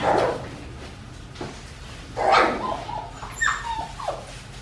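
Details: Australian Shepherd puppies, four weeks and five days old, filmed indoors by a baby cam on a farm: short yelping bursts at the start and mid-clip, then thin, high, falling whimpers and yips near the end, over a low steady hum.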